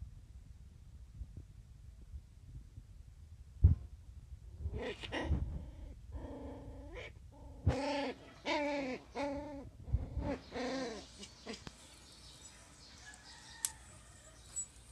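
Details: Border Collie puppies at play, giving a run of drawn-out, arched, harmonic whines and yowls that bunch together in the middle, with a few sharp knocks and thuds around them.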